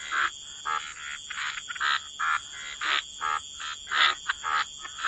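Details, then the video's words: Croaking frogs by the waterside, separate raspy croaks in short bursts with brief gaps of quiet between them, repeated irregularly, a faint high steady hiss in the background. "Frog Lullaby: Relax to the Sound of Croaking Frogs"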